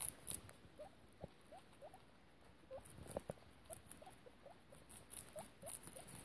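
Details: Fostered mother guinea pig with her babies: a steady series of short, rising squeaks, roughly two per second, with soft patter and rustling of bedding between them.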